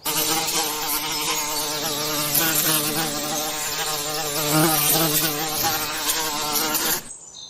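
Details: Forest bees making honey, a dense, steady buzzing hum with many layered tones, continuous for about seven seconds before cutting off abruptly.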